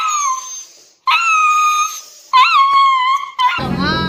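A dog gives drawn-out, tonal howls, each held steady for about a second with slight wavering pitch.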